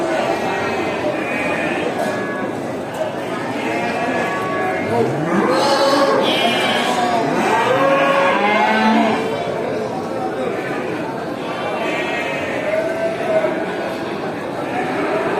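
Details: Hundreds of farm cows returning home to the barn after grazing, driven by the farmer through a village; overlapping moos, several loud ones with sharply rising then falling pitch near the middle, over a constant herd murmur.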